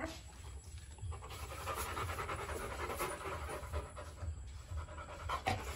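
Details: Rottweiler puppies Bruno and Dora in their kennel; quick, breathy panting pulses repeat roughly twice a second, uneven, over a steady low rumbling hum.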